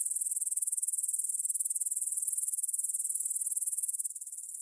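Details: Rapid, evenly pulsed high-pitched chirring of grasshoppers in a meadow near the Svensky monastery, Bryansk, Russia, recorded at 9pm on 6 September 2020 using a Tascam DR-44WL. The pulses come in fast succession, fading slightly at the end.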